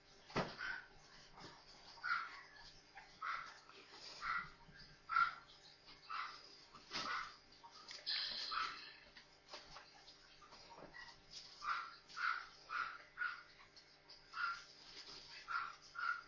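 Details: Four newborn Maltese puppies playing together indoors, giving high, thin whimpering squeaks in bursts roughly every second, with a short rustling noise midway and quieter spells between.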